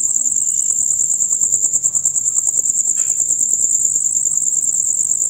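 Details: A chorus of male crickets chirping loudly and rapidly, a continuous shrill pulsing trill held at one high pitch. A brief falling squeak cuts in near the third second.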